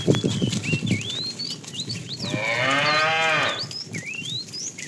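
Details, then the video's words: A fat cow in a tame herd being driven in the afternoon calls to the female: one long, loud, harmonic-rich moo lasting about a second and a half, with thin whistled bird chirps before and after. "The funny sound of a fat cow calling the female"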